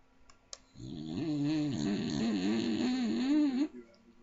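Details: Loud snoring from a sleeping little Staffordshire bull terrier: a single drawn-out, rattling inhalation lasting about three seconds, its buzzy tone wobbling up and down, preceded by a faint click.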